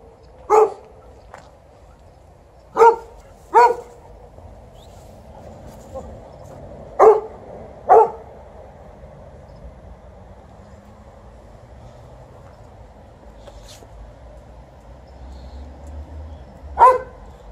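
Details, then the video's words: At the end of an evening walk, a Golden Retriever gives six sharp, single barks, spaced unevenly, over a low background hum, complaining about how long the walk lasted. "Evening walk ends with some barking by Golden Retriever (5/5)"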